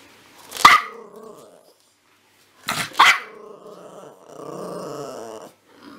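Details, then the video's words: A puppy lets out two loud, sharp barks about two seconds apart. Each bark trails into a harmonic whine, and a low sustained growl follows near the end. "Cute Puppies Barking"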